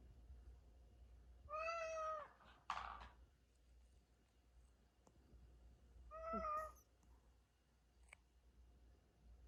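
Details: Two soft, drawn-out meows come from a domestic cat said to be asleep and dreaming, spaced about five seconds apart, each a clear harmonic wail, with a light rustle and a click between them in a quiet room.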